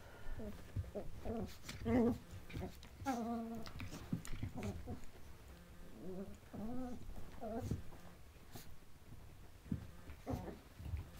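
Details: Bichon Frise and Yorkshire Terrier puppies Lucy and Bella play-fighting at Lake Elsinore: bursts of short, whiny growls and yips rising and falling, with quiet pauses between scuffles and a soft room background.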